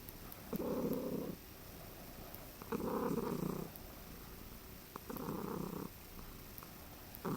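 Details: A relaxed male cat lying on a person's chest and drooling. He makes an odd sound between a purr and a trill: a low, rough, rumbling burst about a second long, repeated every two seconds or so, four times, in a quiet room.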